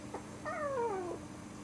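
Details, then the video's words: Four-week-old Cairn terrier puppy giving a single tonal whine under a second long, starting high and sliding steadily downward, with a soft room hum behind it. "four week old cairn terriers old puppies"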